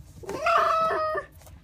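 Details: Pouting red fox kept indoors, frustrated and jealous of another animal called Griffin: one steady, high, nasal whine held level for nearly a second, rising in at the start and cut off sharply, in a quiet room.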